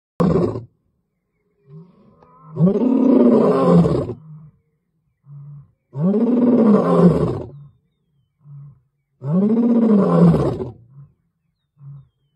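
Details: Lion roaring in October 2022: three long, deep, powerful roars about three seconds apart, each a swelling moan with rich harmonics, separated by short low grunts; no other sounds.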